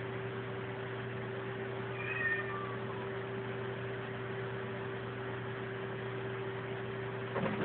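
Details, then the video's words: Krystal, a female pet cat, meowing at the TV for no apparent reason; one short, falling meow with clear harmonics near the middle, over a steady low electrical hum. "Krystal meowing at the TV (for no reason)"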